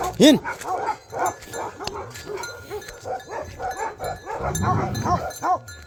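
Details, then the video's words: Bhote Kukur dog in Nepal giving a few scattered barks, one loud rising-falling bark at the start, with a man talking and background murmur between them. "Bhote Kukur In Nepal"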